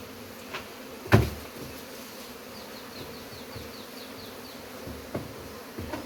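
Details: Honey bees buzzing during removal of their hive. A continuous low hum runs beneath a loud thump early on, faint high chirps in the background and scattered knocks.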